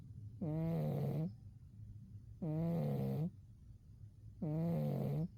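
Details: Umi, a cat zonked out in winter, gives three long, buzzy snores spaced about two seconds apart, each lasting nearly a second against a quiet room.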